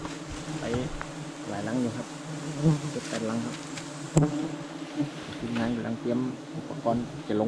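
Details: Giant honey bees buzzing while a bee-hunting team harvests a nest said to hold 100 kg of honey; a low, steady droning hum with bursts of louder buzzing, and people's voices talking over it.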